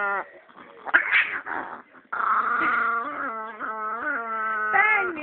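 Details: Chihuahua named Penny, called evil, making a drawn-out tonal growling whine after a quieter, broken opening; the voice wavers up and down in pitch, with a brighter rising cry near the end.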